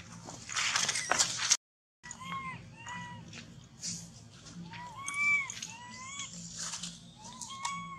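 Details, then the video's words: Crying baby monkey, left without its mother and clinging to a tree, utters a quick run of wavering, arched wails, one after another, after a short silent gap, with hissy noise early on. "Terrible Cry ! Baby Monkey Cry Shacking Body Hug The Tree Lost Mom"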